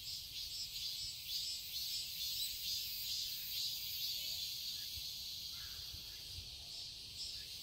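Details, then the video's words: Cicadas in a Seoul garden in Korea during summer, a dense continuous shrill buzzing high in pitch, steady with gentle pulsing swells, a low rumble of distant background noise underneath. "Cicadas chirping sounds"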